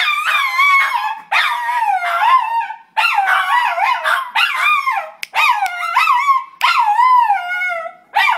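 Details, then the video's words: A schnauzer singing with a run of wavering, yodel-like howls, each a few seconds long and sliding up and down, separated by brief pauses. "Schnauzer Cantando"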